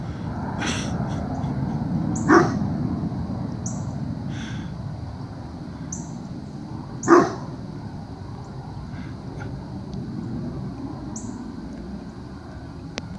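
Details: At Mills River on the morning of 3 September 2017, a dog watches people on the trail above the stream and gives two sharp alarm barks about five seconds apart over a constant rushing background.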